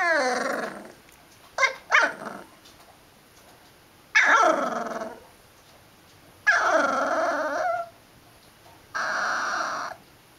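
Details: Liver and white dog vocalizing in drawn-out, wavering howls and groaning growl-like calls, several long sustained bursts separated by pauses, with two short yips near the start.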